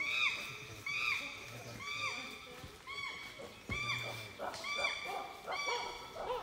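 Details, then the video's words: Wild chimpanzees calling during tracking in Uganda, from the trees and the ground: a series of loud, arching harmonic hoots, each rising then falling, repeated roughly once a second, with overlapping calls crowding in toward the end. "Chimpanzee Tracking in Uganda - Vocalization in the wild - In the trees, and on the ground"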